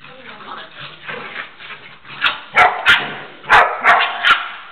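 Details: Jana, a female dog, in gentle maternal play with a Pitbull puppy that barks and jumps at her; people talk at first, then a burst of five quick sharp barks.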